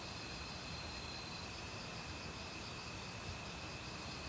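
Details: Forest crickets in autumn chorus with other insects, a continuous high trill under two very high buzzy bursts about two seconds apart, all set against the broad hiss of a flowing mountain stream.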